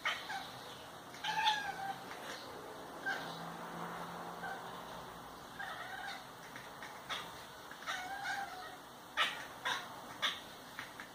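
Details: A female house cat chatters in excitement on seeing a midge, fly, mosquito or bird: soft short warbling chirps and clicks in irregular bursts, faint against a hissy room background.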